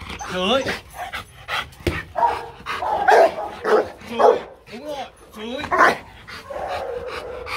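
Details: During playful command training, the Rottweiler Marvin gives single abrupt barks, some in rough pairs. A handler's voice comes before and between them, prompting each bark.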